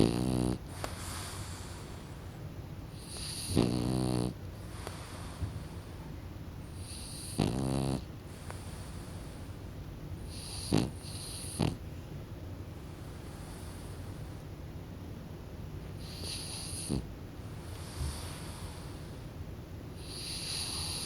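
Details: Pet French Bulldog Kokubo nodding off to sleep, giving a string of low, rattling snores about every four seconds early on, then quieter breaths and a few soft clicks over a constant room hiss.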